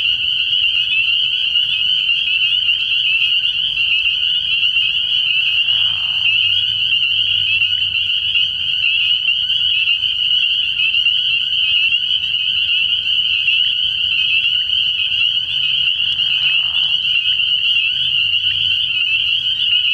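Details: Night-time frog pond in early spring packed with calling spring peepers, their high whistled peeps merging into one constant shrill tone, with two short, lower croaking notes around six and sixteen seconds.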